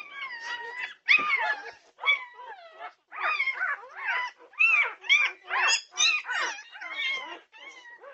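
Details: Norwegian Buhund puppies at 2:30am on June 8, 2021, a chorus of overlapping high whines and yelps, rising and falling in quick bursts with brief pauses, several voices calling at once.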